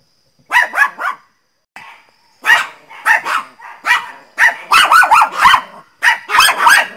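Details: Angry loud barking from the Pinscher Teco, rapid bursts of shrill barks running almost continuously with brief pauses, each bark breaking into quick yipping tails.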